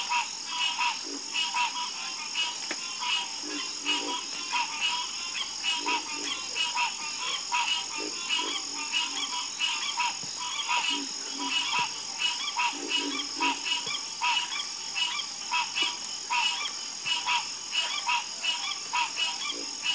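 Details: Frogs croaking in a night chorus, a dense layer of overlapping short rasping calls with a steady high insect-like hiss above and occasional deeper croaks.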